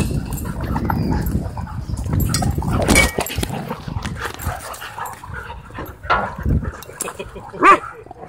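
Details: Several dogs playing wildly together at a dog park: low rumbling growls and scuffling noises run throughout, broken by a sharp bark near three seconds and another short yelp near the end.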